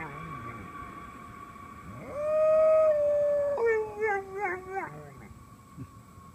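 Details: A female English Golden Retriever gives a long, steady howl at a passing airplane that breaks into wavering, falling notes over the droning engine.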